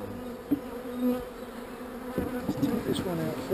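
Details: A colony of not so angry honey bees hums while a frame is taken out and a queen cell prepared. The buzz is a steady low drone with occasional louder passes and knocks, and a voice-like sweep appears near the end.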